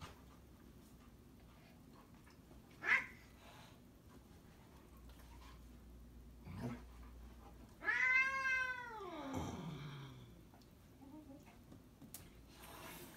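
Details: A 1-year-old Maine Coon cat, filmed alongside a 4-month-old Newfoundland puppy, gives one drawn-out, wavering meow that slides downward in pitch at the end.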